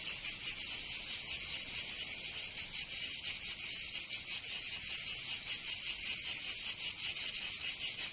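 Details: Provence summer cicadas in the south of France keep up a harsh, high, continuous buzz. Its loudness flutters in quick, somewhat irregular pulses, about two to three each second. No other sounds are present.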